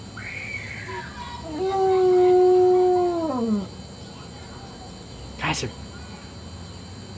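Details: Household pet dog howling for no apparent reason: a brief higher yelp-like note, then a steady tonal howl of about two seconds that falls off at the end, followed by quiet room sounds and a sharp click.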